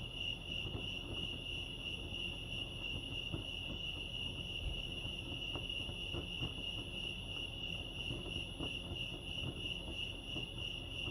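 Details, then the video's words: Continuous cricket chorus at Lake Arrowhead, California: a bright, sustained high trill holds steady throughout, layered over a dull low background hum with occasional faint knocks. "crickets chirping lake arrowhead"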